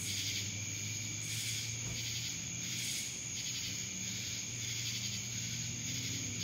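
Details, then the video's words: Buzzing cicada chorus recorded in Dallas, Georgia, a shrill continuous drone rising and falling in soft pulses about every second over a faint low hum. "Cicadas Black Screen Sounds"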